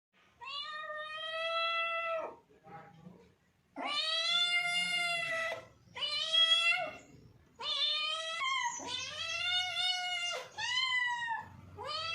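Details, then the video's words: Domestic cat meowing in a small indoor space: five long, harmonic-rich meows of one to two seconds each, some level and some bending up then down, separated by short pauses, with a faint low hum beneath. "funny and cute cats meowing complation / cats sound effects"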